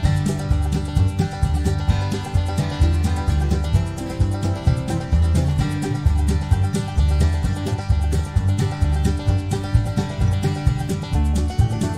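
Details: Plucked-string bluegrass music with a steady bass beat plays throughout.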